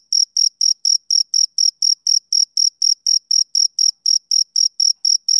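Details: Male cricket chirping on a summer evening: clean, high pulsed chirps repeated about four times a second in a steady rhythm, each with a faint higher overtone, against a silent background.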